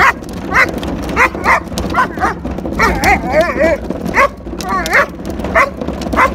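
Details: German Shepherd attacking garbage can wheels like mad as a man brings the can in from the street, giving short bouncy barks and yips at an irregular pace, some with wavering whine-like pitch, against background rumble.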